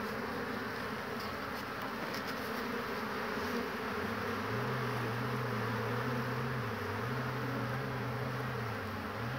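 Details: Spring hive scene from 22 March 2019: large numbers of honey bees coming home with pollen, tired ones waiting on the roof; dense steady humming, then a wavering low buzz of a bee circling near the microphone.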